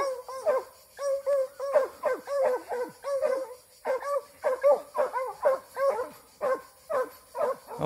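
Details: Young Plott hound, eight months old, in a standoff, release and fight, giving a nearly continuous run of bawling barks, arched and resonant, about two per second with brief pauses, on a quiet background.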